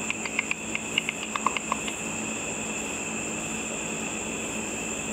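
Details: Ultrasonic calls of bats feeding on insects above a pool at night, brought down to audible pitch by a simple frequency-divider detector: a rapid series of crisp ticks and pops during the first two seconds, then only steady electronic hum.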